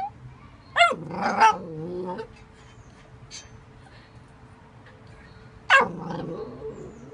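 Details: Pet dog letting out two brief, high yelping barks that slide down into whiny harmonic tails, one burst near the start and another about five seconds later, with near quiet in between.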